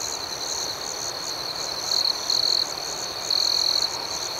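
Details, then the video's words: Crickets keep up a steady high trill at night beneath quick, repeated upper chirps. Three louder, nearer trills break through in the second half: two short ones close together, then a longer one. "Soothing Cricket Sounds"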